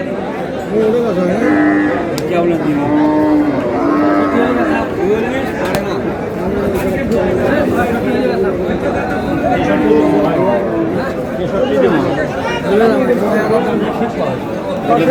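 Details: Meat cows at Aftabganj haat cattle market, 22 April: several low moos scattered across a dense market din, one held steady near three seconds and more around ten seconds, under constant human chatter and shouting.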